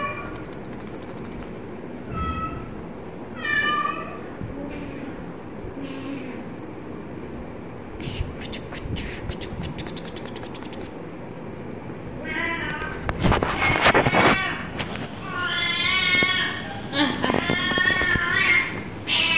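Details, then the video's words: Kitten meowing in short harmonic calls, some rising then falling, scattered across the first half, then louder, longer overlapping meows near the end; clicking and handling noises and faint background murmur in between. "baby cat"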